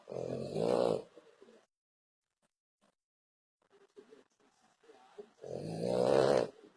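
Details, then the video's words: A French Bulldog snores loudly. A rough, buzzing snore opens the recording, then a near-silent pause and soft snuffles, then a second drawn-out rattling snore about five seconds later. "Bull Dog Francês roncando muitooo"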